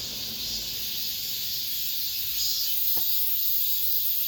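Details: The last cicada song of summer in an apartment complex: a flat, piercing hiss-like drone that grows a little louder toward the end, with a brief tap midway.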